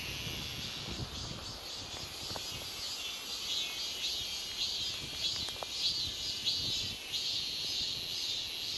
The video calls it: 매미 울음소리 (Cicada buzzing sound)